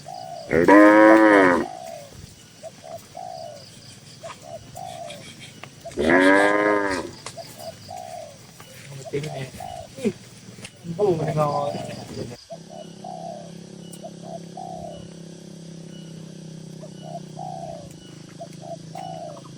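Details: Tame cattle, dozens of them, in a busy farm barn: three loud, rich, drawn-out moos about five seconds apart, with soft repeated pigeon-like cooing throughout. The last part is quieter, with cooing over a steady low hum.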